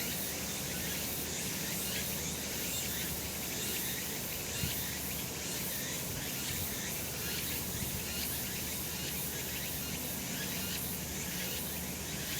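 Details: Sunlit summer mountain setting with a wall of cicada sound: shrill, grainy, high-pitched buzzing that never stops, gently pulsing in repeated beats, with a quiet low hum underneath.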